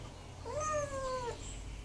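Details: Tucker the kitten, wanting out of a closed bathroom, gives a single soft meow that rises briefly and then slides gently downward, over a low background hum.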